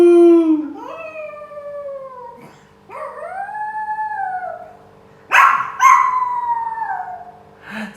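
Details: A pet dog that likes to sing gives four drawn-out, tuneful howls. Each howl rises, then slides gently down. A faint steady hum sits beneath them.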